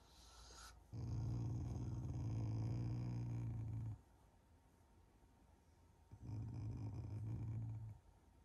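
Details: Shiba Inu in the morning, growling at its owners out of affection rather than anger: two long low rumbling growls of about three and two seconds, separated by a quiet pause, steady and purr-like, indoors.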